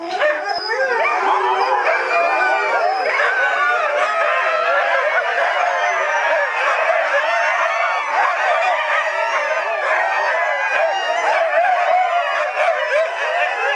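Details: Fourteen Siberian huskies howling together along with the town church bells at 7 o'clock: a dense, continuous chorus of overlapping wavering howls, rising and falling, with yips mixed in and a steady loud level throughout.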